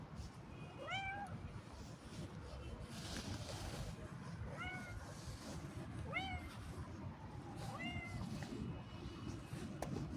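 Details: Cat calling during a short walk: four or five brief meows, each rising then dipping, roughly every one and a half seconds, set against constant low-frequency outdoor rumble.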